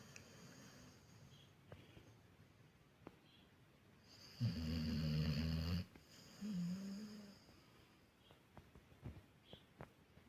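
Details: American Staffordshire Terrier asleep, giving one strong, deep, droning snore lasting over a second, followed by a shorter softer rising snore, with quiet breathing and faint clicks around it.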